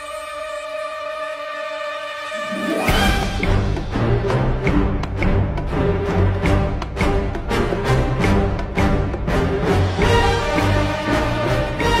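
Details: Dramatic orchestral music, a sustained tone swelling into loud rhythmic drums and strings, with no animal voice heard.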